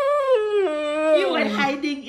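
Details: Siberian Husky Wulf, upset after noisy Fourth of July fireworks the night before, howls indoors in a small room: a continuous, richly harmonic, voice-like wail sliding downward in steps over two seconds.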